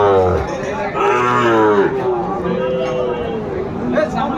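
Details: Sahiwal bull calves at a cattle market where Dhaka farmers are buying, 27 January 2025: a low, harmonic moo swells over the first two seconds and then fades into busy market chatter and crowd noise, with fainter lowing beneath.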